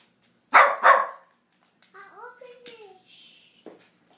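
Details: Pet dog Sofia, barking at nothing, lets out a fast double bark, followed by a person's voice speaking softly and a faint click near the end.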